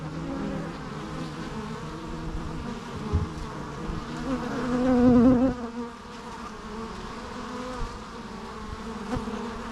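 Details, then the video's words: Steady hum of a crowd of bees, with one bee flying close around five seconds, its louder buzz wavering up and down in pitch over the even background drone. "natural bee sounds"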